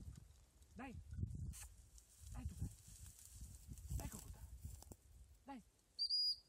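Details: A German pointer at a pheasant hunting trial gives four short, mid-pitched barks about every one and a half seconds over wind rumble, then a high whistle-like beep at the end.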